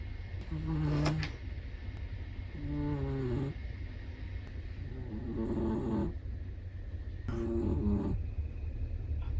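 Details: Sleeping black-and-tan long-coat Chihuahua snoring: four low, rasping, harmonic snores in a steady rhythm, one about every two to three seconds, with quiet breathing between them.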